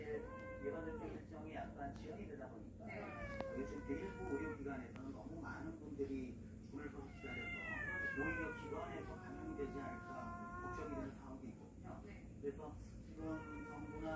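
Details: A family of warehouse cats that has wandered into the house meows again and again. The calls are long and whining, some rising and some falling, and they overlap one another. People talk quietly in the background.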